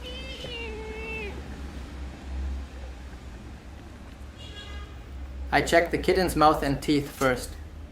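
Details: Abandoned kitten rescued after two days freezing in snow at -11°C gives one drawn-out, falling meow, then a fainter cry. Background hum persists throughout, and human speech follows near the end.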